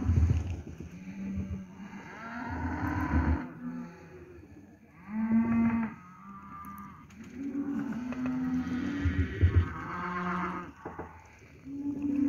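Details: A group of steers in lot 17 at Lago Escondido lowing repeatedly: several deep, harmonic moos, some rising and falling, follow each other every couple of seconds and overlap at times over a low rumbling background.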